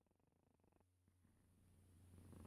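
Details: Short stretch of a cat's purr, a soft, low, pulsing rumble growing gradually louder.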